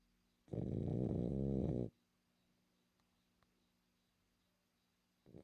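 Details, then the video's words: Snoring from a female French Bulldog: one long, harsh, throaty snore lasting about a second and a half. A quiet gap follows, then the start of the next snore at the end. "BULLDOG FRANCÊS RONCANDO"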